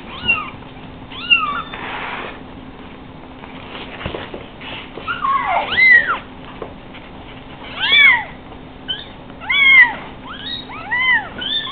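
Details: Five heavily spotted three-week-old Savannah kittens on a couch, wanting to get down but not yet able to jump, give high arched mews, some in quick pairs, with quiet gaps between bursts and a faint steady hum behind.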